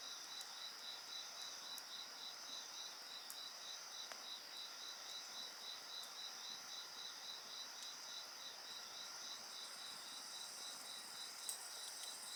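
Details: Night insects calling over a crackling bonfire: a ceaseless high-pitched whine and a clear rhythmic chirping pulse, punctuated every few seconds by crisp wood snaps, with a faint higher buzz joining toward the end.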